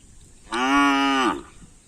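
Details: Cattle from a champion karapan sapi (bull racing) pair on Sapudi Island, being prepared for an upcoming race. A single steady moo of under a second holds a flat, even pitch, with faint background noise before and after.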